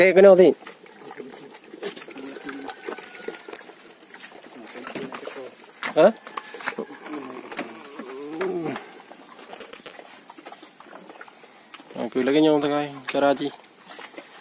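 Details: Farm-raised sheep bleat in short, wavering cries at the start, midway and near the end, the last a longer quavering call, with human speech and light rustling noise in between.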